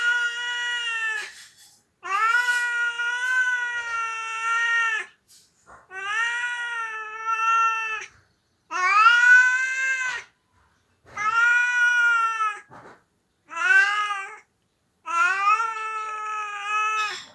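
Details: A male house cat, missing his owner who is away on vacation, meows repeatedly. Seven drawn-out, wavering wails, each one to three seconds long, come in steady succession across seventeen seconds in a quiet room.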